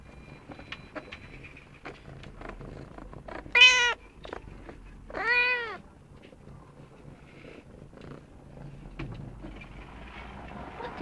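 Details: Young female Snowshoe cat Hunaja, 8-9 months old, indoors, insisting on attention with her baby-alligator-like voice: two loud, rich meows about two seconds apart, rising then falling, amid quiet room noise and faint clicks.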